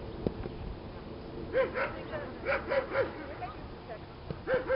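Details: Marco, a club Doberman, on his first outing on the protection training field, gives short arched barks in small bursts about once a second, with gaps between them and voices talking in the background.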